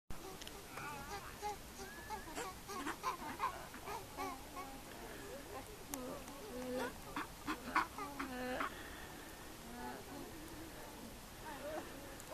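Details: Gelada monkeys in Simien Mountains National Park, Ethiopia: many overlapping voices give short harmonic grunts, moans and nasal rising calls in a busy, steady chatter across the whole stretch, with a soft background hiss.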